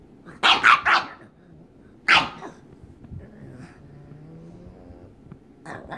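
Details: Pug named Waddles playing with another pug, May: two quick sharp barks near the start, a single bark at two seconds, then quiet low rustling and a softer bark at the end.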